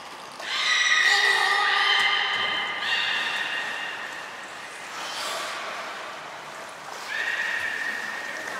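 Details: At Port of Nagoya Public Aquarium, a beluga in a training session, January 2021, gives stepped, horse-like whinnying notes with rich harmonics, followed by quieter tones and a final rising squeal.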